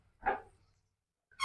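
A Shih Tzu gives a single short, sharp bark, then a second begins as the clip ends.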